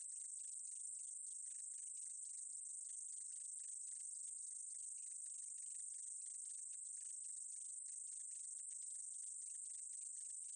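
A short-winged meadow katydid sings a thin, continuous high buzz, steady throughout.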